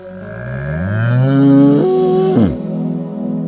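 A bull gives a single drawn-out moo of about two seconds. It swells and climbs in pitch, then breaks off with a falling drop, over a faint steady hum.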